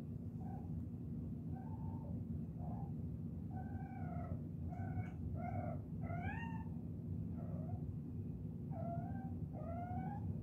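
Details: Kittens chirping: about a dozen short, high, rising chirps with clear overtones, some in quick pairs, scattered across ten seconds over a steady low rumble.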